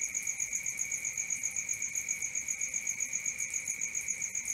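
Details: Night-time crickets give a constant shrill drone of quick, regular chirps, roughly four per second, steady and uninterrupted against a still, quiet night.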